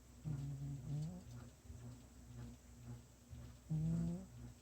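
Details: Snoring cat: two low, buzzy, harmonic-rich snores of about a second each, roughly three and a half seconds apart, over a steady indoor hum.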